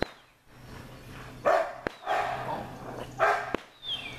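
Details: American Bulldog puppies barking: three short, loud, harsh barks at about one-second spacing, with faint sharp clicks and a quiet background between them.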